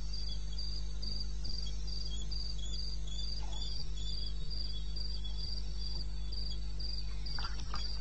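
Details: Cricket in the wilds of eastern Botswana at 2:30 am on 21 May. Its steady high pulsing chirps repeat around twice a second, joined by a few faint taps and a brief higher chirp near the end, over low hum.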